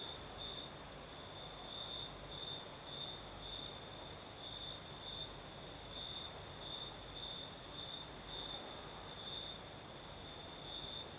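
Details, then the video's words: Crickets sing at night in southern Crimea under a gentle night breeze. Their shrill, even, pulsed trill runs without pause at a single pitch, a very high shimmering insect hiss sits above it, and soft wind fills the background. "Сверчки поют"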